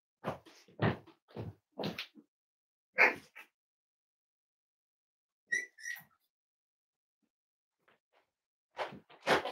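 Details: Five-week-old Cavalier King Charles Spaniel puppies indoors during weight checks; short scuffly bursts with a brief high whining squeak in the middle, then quiet, then more rustling noises at the end.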